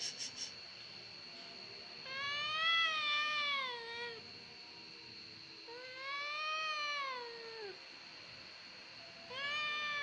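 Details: Whining domestic cat, the 'kucing gembeng' or crybaby cat, repeats long, drawn-out complaining meows about every three to four seconds, each arching up then sliding down, against a steady high electronic whine.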